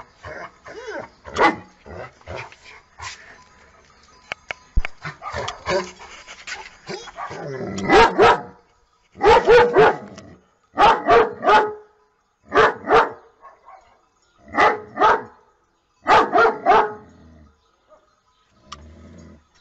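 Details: Happy dog barking for fun. A cluttered start of soft yips and movement gives way to loud paired barks, each double bark spaced about a second apart, trailing off into quiet at the end.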